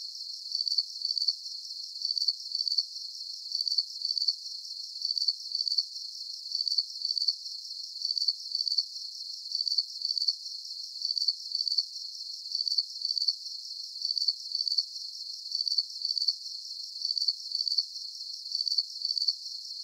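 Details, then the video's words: Crickets chirping in a calming night soundscape, a steady high, thin pulsing trill repeating about twice per second with very even rhythm, with no other animals, voices or music. "Calming Cricket Sounds"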